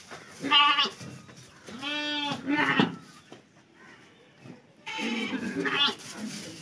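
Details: Young lambs offered for sale bleat loudly in three long, wavering, nasal cries, each about half a second to a second, separated by quieter pauses with faint background noise.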